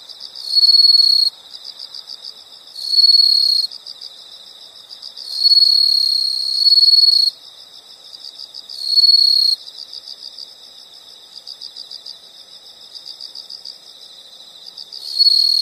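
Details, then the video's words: Insect sounds from nature: loud high-pitched pulsed trills in bursts of about one to two seconds, separated by quieter stretches where a softer high chorus of rapid pulses keeps going. "the sound of insects"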